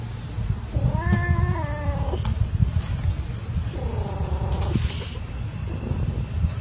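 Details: Playing cats: two drawn-out harmonic meows, the first about a second long and steady, the second shorter and slightly lower, over a low rumbling background hum with a few faint clicks.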